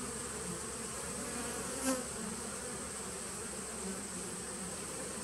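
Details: Droning bee hum inside a 2017 nuc colony on 19 September 2018, even and unbroken, with one brief sharp tap just before two seconds.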